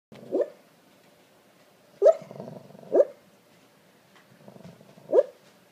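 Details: English Springer Spaniel mix dog barking in its sleep while dreaming: soft muffled woofs, four short bursts over about six seconds, separated by quiet snuffly breathing; a person's voice follows.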